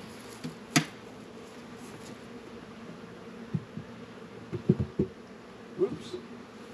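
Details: A low, continuous hive drone from honey bees at Warre and Langstroth hives on a 72-degree winter day in February, northern Kentucky, broken by scattered sharp knocks and clicks of hive work.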